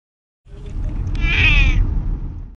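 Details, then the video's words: Sleepy, grumpy domestic cat giving one drawn-out, wavering meow that rises then fades, over a low rumbling background of handling noise. "Sleepy Grumpy Cat"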